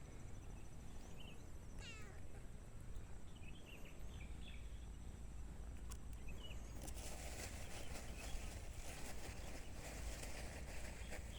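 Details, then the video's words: Domestic kitten among two cats and two kittens playing outdoors: one short falling harmonic meow around the two-second mark, with faint high chirpy notes and steady low rumbling background noise, then broadband rustling toward the end. "CAT MEOWING - TINY KITTEN - CAT NOISES"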